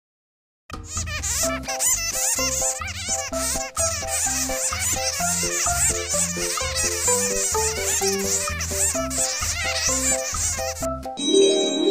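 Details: Bouncy electronic music with a steady beat and bright melody plays throughout, ending in a brief burst of noise; no animal voice can be picked out.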